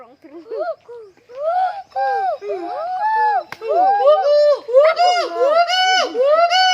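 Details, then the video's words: Gibbon calling at Sepahijala zoo in a dense run of arched, swooping hoots that overlap and grow louder and more rapid. Upward-sweeping whoops dominate the second half, with a faint outdoor background. "Sound of Gibbon in Sepahijala zoo"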